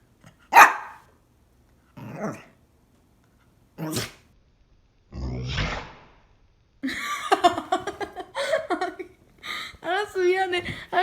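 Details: Pet dog named Hodu sneezing while trying to bark during a treat game indoors: a few sharp, explosive bursts spaced seconds apart, then a quick run of whiny, yelping barks with rising and falling pitch.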